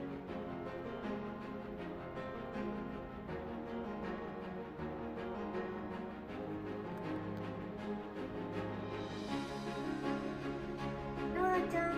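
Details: Steady instrumental music with layered tones plays throughout, with no animal voices heard.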